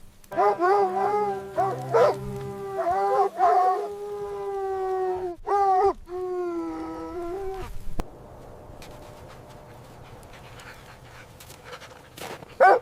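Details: Puppies play with their mother dog on fresh snow in winter. Drawn-out, tonal whining howls rise and fall for about eight seconds, then fade to quiet background rustling, with a brief sharp yelp at the end.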